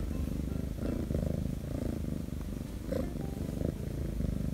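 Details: Korean shorthair kitten named Shattongi, a rescued stray, purring nonstop while petted on paws, tail and belly; steady low rumbling purr with rhythmic breath cycles, light handling rustles.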